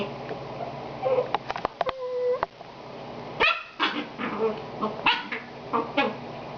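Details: Very itchy female puppy whimpering and yipping, short sharp clicks and a thin held whine near the start, then scattered breathy squeaks and whimpers spread over several seconds.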